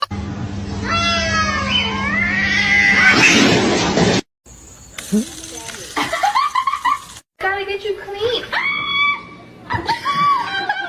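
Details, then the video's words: Kitten meowing in a funny compilation: several drawn-out, wavering meows over a steady hum, then abrupt cuts to shorter high meows mixed with people talking. "kitten meowing"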